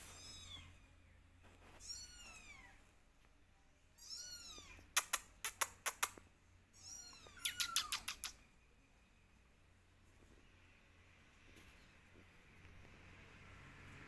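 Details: Kittens calling for their mother while she stays apart and observes them: clear, high meows that rise then fall come in quick succession, with bursts of sharp clicking taps in the middle and quiet room hum after.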